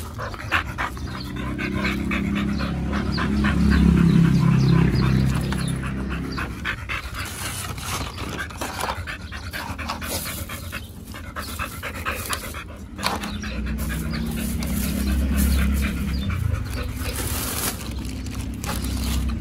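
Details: Two Pit Bulls, Oliang and Nomyen, feeding on raw beef, duck wings and chicken at a dog hotel picnic over Chinese New Year 2021. Steady rapid huffing breaths run beneath chewing, with a low rumble swelling early and again late.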